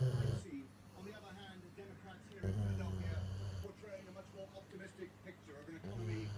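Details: A female Rottweiler, asleep while being cuddled with her toy up against her nose, snores in deep, rumbling bursts that come roughly every three seconds.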